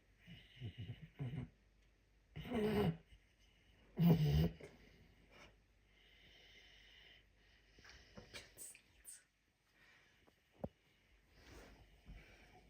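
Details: Sleeping puma named Messi snoring: a few soft, low breathing rasps, then two loud, harsh, snorting inhalations about a second and a half apart, followed by quieter breaths, a sharp click and faint movement sounds.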